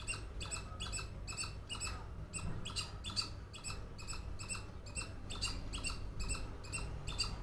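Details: A squirrel makes a rapid, rhythmic string of harsh, buzzy chuck notes, evenly spaced at about two per second, over a continuous low hum.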